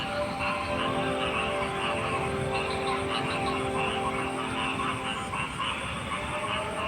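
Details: Rapid, busy croaking from many frogs, pulses tumbling over one another several times a second above a continuous low drone.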